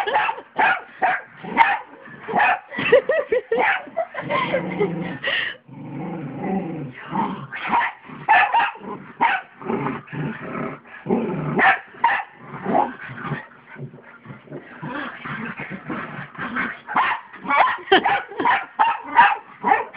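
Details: Two small dogs, a pug and a mutt, romping on a bed at home: rapid choppy yips, barks and growls in quick succession throughout, briefly dropping to softer rumbling growls partway through.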